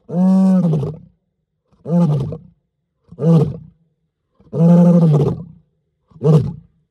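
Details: At night at Mala Mala Game Reserve, Greater Kruger National Park, South Africa, a male lion roars in deep, drawn-out bursts, each a low moaning groan rising then fading.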